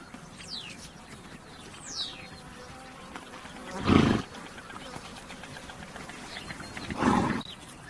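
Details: A horse blows two rough, noisy snorts about three seconds apart, each lasting under half a second, over a quiet outdoor background with thin, high bird chirps early on.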